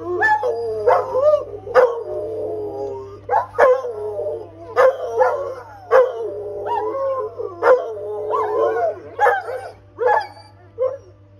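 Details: A Rottweiler howls back at an ambulance siren in long wavering tones, broken by sharp yelping onsets every second or so.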